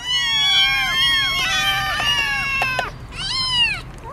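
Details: Motherless kittens found on the street, brought home after a week of waiting, crying on the way to the vet: high, arching meows in quick succession, several overlapping, with a brief gap before a final burst of calls.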